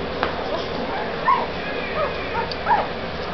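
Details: Puppies playing with litter mates let out short squeaky whines that rise and fall, three clear ones spaced under a second apart, against a constant low hiss.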